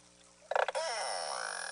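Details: Beluga contact call from the Eastern High Arctic Baffin Bay population in a summer nursery inlet: a harsh, broadband pulsed burst, then a wavering buzzy tone, a group-cohesion call keeping mother and calf in contact.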